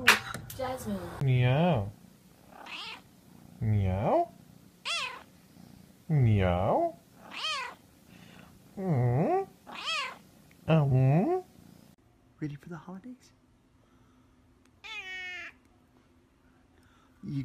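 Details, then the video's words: Pet cat indoors, one of a set of talking cats: a run of loud harmonic meows, each about a second long, repeated every one to two seconds with brief gaps, then two fainter, higher calls near the end. "Ultimate Talking Cats"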